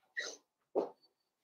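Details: Blenheim Cavalier King Charles Spaniel puppy from a New Year's litter of five, kept in a home puppy pen, giving two brief breathy yips about half a second apart in a quiet room.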